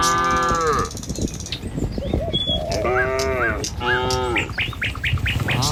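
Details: Morning herd of tame cattle driven along a village road to the fields. A long low moo opens, then two wavering, harmonic moos follow, with quick bird chirps and hoof scuffs throughout.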